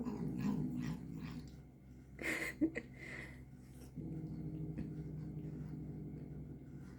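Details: Domestic cat angry while eating medicine gel: a low rumbling growl, broken by sharp smacking and licking bursts midway, then a steady drawn-out grumble to the end.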